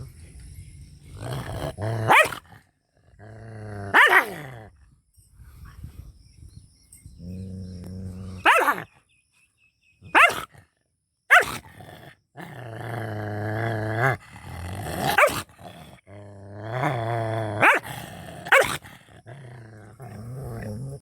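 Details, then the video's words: Angry dog barking in rural Punjab, Pakistan village life: repeated harsh barks about every one to two seconds, mixed with drawn-out, wavering growl-howls between the bursts. "FUNNY DOG BARKING & HOWLING"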